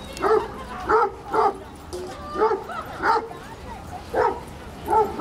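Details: Dogs at play in the Washington Square Park dog run, New York City, giving short, sharp barks roughly once a second, some doubled, over a constant murmur of outdoor noise.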